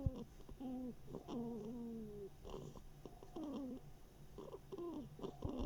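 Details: Mashenka, a female hedgehog lacking an ear, snuffles and snores, summer 2021. Quick run of squeaky, falling nasal tones and wheezy sniffs packed closely together over a few seconds.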